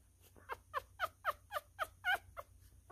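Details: Newborn miniature schnauzer puppy, a male, being hand-fed indoors and eating messily; short squeaky cries repeat about three times a second, each a quick bent harmonic squeal, over a low steady hum.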